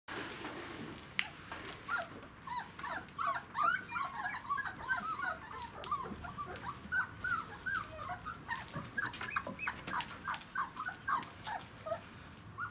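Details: Three-week-five-day-old puppies from a Kicsi x Yeltsin litter on their first day in the puppy kennel, whining and whimpering together in a busy overlapping chorus of high, bending squeals that run almost continuously, rising and falling in quick bursts.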